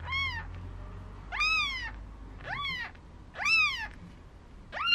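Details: Four-day-old Maine Coon kittens at a breeder's cattery in Tokyo, Japan, giving high, arched meows that rise then fall, with bright stacked overtones, four loud cries and a fifth starting within five seconds over a low background hum.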